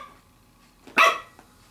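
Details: Young female Pembroke Welsh Corgi, 7 weeks and 6 days old, playing with a glove, gives one brief, bright, piercing bark followed by a faint click.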